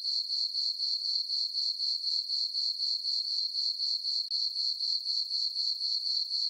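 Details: Summer-night cricket chorus in a moonlit farm meadow, a bright continuous high-pitched chirring beating in regular pulses roughly four per second, unbroken and alone.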